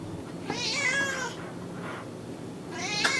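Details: Cat mewing against a hissy background, two longer nasal meows with a faint short mew between them, fairly soft and close.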